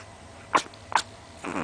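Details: A small Chihuahua, about 20 cm tall, snores loudly while asleep with its tongue out and twitching a little. Two short, harsh snorts are followed by a longer, raspy, buzzing breath.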